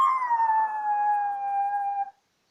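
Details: Toy terrier named Linda singing along to the New Year song "V lesu rodilas yolochka" ("A Little Fir Tree Was Born in the Forest"): one sustained, clear, high howl, sliding slightly downward and held for about two seconds before stopping abruptly, with no other sounds.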